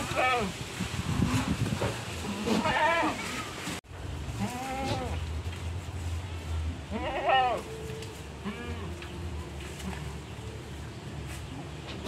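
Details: Black-and-white spotted goat, a fierce animal being kept ahead of Qurban, gives a few tremulous bleats amid close conversation in a local language, with a low rumbling background hum.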